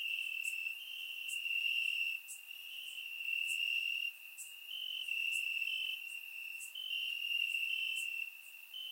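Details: In Bulgaria on a warm summer night, crickets chirp from the grass: a high, sustained trill pulsing between louder and quieter stretches every second or two, with faint higher ticks from other insects; surround microphone recording.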